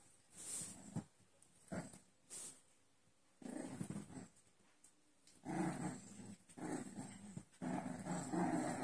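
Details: American Bully puppies in Chandigarh giving low, rough growls in three sustained bursts through the second half, each lasting one to two seconds, after a few short sharp sounds early on.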